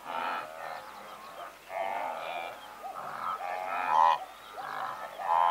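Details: Blue wildebeest calling from a herd of several hundred, recorded at medium close range: overlapping nasal, honking grunts with rich harmonics, coming in uneven bursts roughly every second, many animals calling at once.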